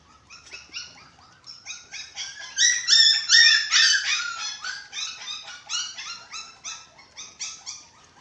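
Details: Six-week-old dachshund puppies at eating time, kept as pets, giving a steady run of high-pitched, whiny yips about two or three per second, swelling louder in the middle and then easing off, indoors.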